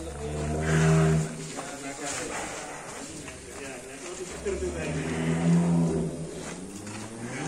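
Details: Fat cattle being handled on a rope, giving low, rumbling moos: one at the start lasting about a second and another about four seconds later. Men's voices call instructions throughout.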